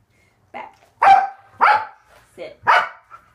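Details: Male Corgi named Waffle vocalizing during a trick training session: five loud, clipped yelps with bright harmonics in quick succession over about three seconds, with a person's voice close by.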